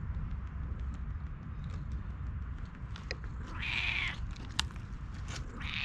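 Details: Friendly stray cat met by chance in a forest, fond of being petted, filmed with a GoPro. A thin, high meow of about half a second rises out of a steady low rumble, a second meow starts at the end, and rustling clicks are heard throughout.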